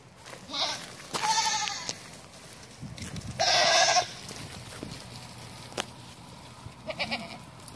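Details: Bishi goats in a herd of nineteen, two short, hoarse bleats about two seconds apart, followed by a faint, brief call near the end amid low rustling and clicks.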